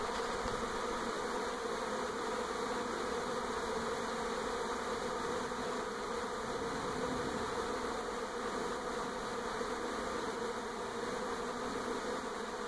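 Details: A honey bee swarm in NE Portland, 2018, travelling from old to new hive around a house; long, steady, uniform hum of countless wings, full and unvarying throughout.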